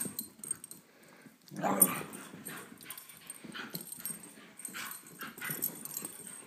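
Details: Two dogs playing, a 17-month-old Beagle mix and a 10-month-old Great Pyrenees: a short, loud rough burst near the two-second mark, then soft scattered yips and huffs with quiet pauses.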